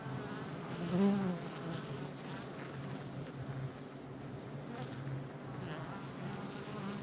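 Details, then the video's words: Many honey bees at a hive entrance, recorded July 22nd, 2024, produce a thick, steady droning buzz, with one louder bee passing close about a second in and wavering higher wing tones over the low hum. "Honey Bee Hive Entrance Activity"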